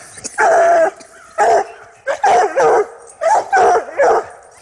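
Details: Hunting hounds getting their first smell of a freshly caught coyote, used instead of a drag: six loud, drawn-out bays in quick succession, each about half a second, with a man urging them on.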